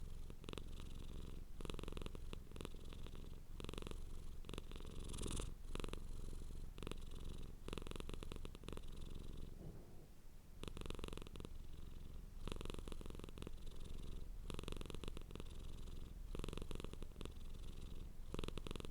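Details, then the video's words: Domestic cat purring hard, recorded close indoors: a steady low rumbling purr that pulses in and out with each breath, with faint soft crackles above it and a brief lull near the middle. "Purring Cat sound for Relaxation"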